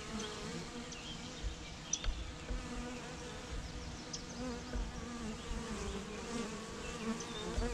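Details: A swarm of honey bees: an unbroken, deep droning buzz with faint passing wing whines layered over the steady hum.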